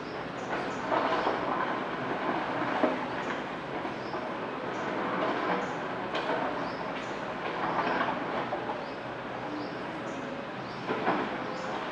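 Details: Only the steady rumble and clatter of a passing train, with no animal calls standing out.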